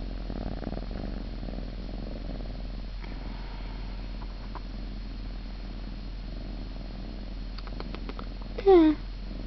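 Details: Siamese cat purring, recorded 26 November; a soft, even low rumble throughout, with a short high squeak near the end and a steady background hum.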